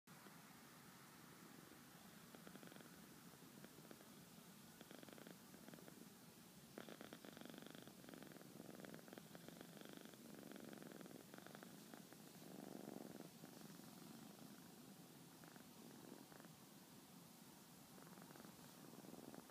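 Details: Cat purring while asleep on a lap indoors, a quiet, steady low rumble running continuously for the whole stretch, with soft rustling texture and no other clear sounds.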